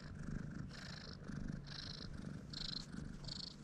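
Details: A stray brown tabby (kijitora) cat on a staircase purrs happily while being petted, a steady low rumble that swells and eases with each breath, about every second, over a soft rustle of fur being stroked.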